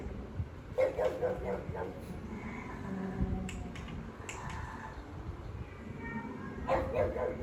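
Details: Pug barking angrily at pugs and other dogs on television, unwilling to accept them in its territory; two brief bark bursts, one near the start and one near the end, with quieter television sound between.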